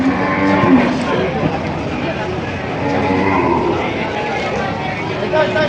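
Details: Cattle at a livestock auction market in Padre Garcia, Batangas, Philippines, where breeding cows and heifers are sold, July 17, 2026; low drawn-out moos stand out over a steady murmur of crowd talk and market bustle.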